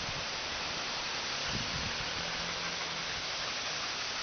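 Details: Steady broadband hiss like wind or rushing water fills the outdoor scene, with a faint low hum and no animal voices.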